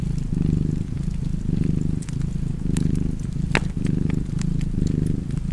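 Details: Cozy cat purring beside a fireplace: a deep, rumbling low purr swelling and easing in steady breaths about once a second, with sharp wood-fire crackles and pops scattered over it.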